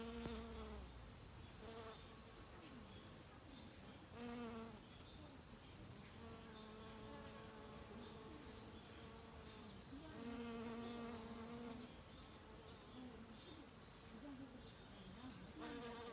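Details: Worker honey bees foraging for nectar in pretty mountain hydrangea flowers: repeated low buzzing passes of one to two seconds, some wavering in pitch as bees hover, over a continuous high thin whine.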